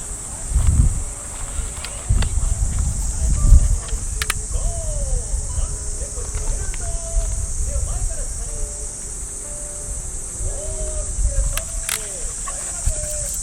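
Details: A steady, shrill hiss of cicadas in the trees fills a Japanese park on an early summer morning, with thudding footsteps, rustling grass and distant radio calisthenics voice and music.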